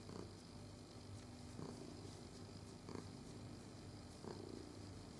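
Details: House cat purring steadily under stroking, recorded 22 November 2018; a deep even rumble fills the clip, with a few short rubbing sounds from the hand.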